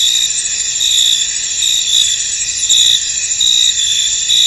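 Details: Misty field soundscape of crickets, a bright high chirping chorus with louder trill pulses about once a second, loosely regular, over a dense unbroken insect hum.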